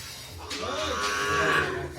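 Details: Brahman calf at a dairy farm in Bangladesh: a single drawn-out moo with a faintly rising then falling tone lasting nearly two seconds, slightly nasal, against a steady low background hum.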